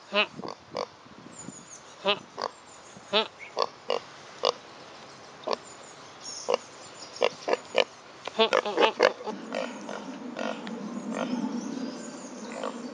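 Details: Pot-bellied pig out walking on a hot summer day, grunting steadily in short, clipped bursts that come faster toward the end, with a person speaking nearby and a low rumbling background in the last seconds.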